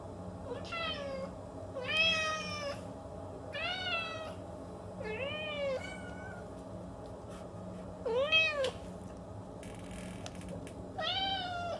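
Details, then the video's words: House cat meowing repeatedly, bright arched cries about every one to two seconds, one deeper dipping meow among them, a brief rustle near the end and steady hum below. "Capturing the Expressive Voices of Feline Actors"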